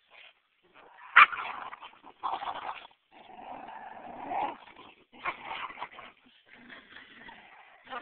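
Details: Two pet dogs growling during a playful game of tug of war: a harsh, rasping, broadband rumble that swells and breaks into uneven bursts, with short yelps and whimpering sounds between them.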